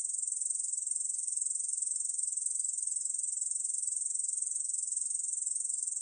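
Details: Korean field katydid calling, recorded in 2020: a continuous, very high, hissing buzz made of rapid, evenly pulsed chirring that holds steady throughout with no pauses and no other sounds.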